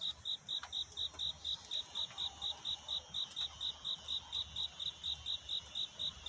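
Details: Night chirping of a cricket whose song seeks love rather than mourns: bright, high-pitched pulses repeated roughly every quarter second, regular and sustained, over quiet low rumble toward dawn.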